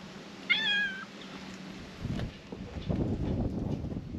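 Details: Stray brown tabby cat on the stairs before a Japanese shrine utters one clear harmonic meow, slightly falling, lasting half a second, followed by rustling and handling noises.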